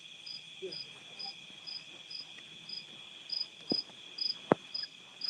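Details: Outdoor nighttime cricket chorus at a rural house in Nauvoo, Illinois: unbroken shrill buzzing with evenly spaced high chirps roughly every half second, plus faint low murmurs and a couple of sharp knocks late on.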